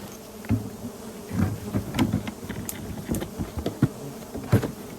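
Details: Bees droning around wild hives found while searching mangrove and Khmer forest for honey, three nests located; a steady low hum runs beneath sharp knocks and snaps from people working nearby.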